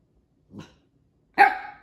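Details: Echo, a Siberian Husky puppy, protests after housemate Juno took his toy. A soft, low grumble is followed by one loud, abrupt bark with a slightly drawn-out tail.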